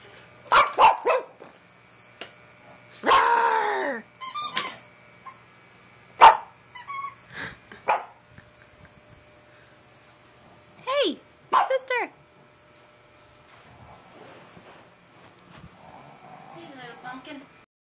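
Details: Pekingese dog barking in scattered bursts, with a longer rough growling bark early on, then sharp single barks and paired arching whines separated by quiet gaps, ending in soft low grumbling.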